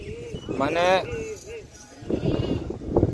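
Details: Goat at a farm in Delua near Midnapore Town, Paschim Medinipur, West Bengal, India, giving a single quavering, nasal bleat of under half a second, with human voices speaking before and after it.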